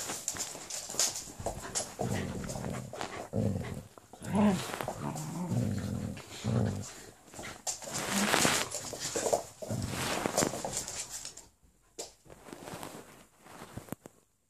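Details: Golden retriever puppy playing with a Jack Russell cross, low rumbling growls coming in bursts through much of the recording, with a sharper yelp near the middle and a quieter stretch toward the end.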